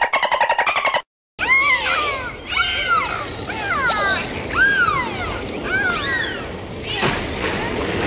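Dolphins trade arched, squealing whistles that rise and fall in quick overlapping bursts.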